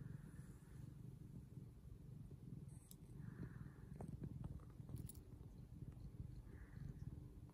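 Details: House cat, mother or son, purring: low continuous rumble with pulsed texture lasting throughout, with a few soft clicks and faint higher murmurs scattered across it.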